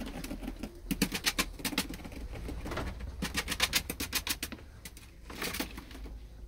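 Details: Playful pet ferrets in a rearranged indoor enclosure shed, including Neeps, Corrie and brothers Brodick and Corrie; quick bursts of low chuckling pulses, about three per second, alternate with sharp bright clicks and rustling.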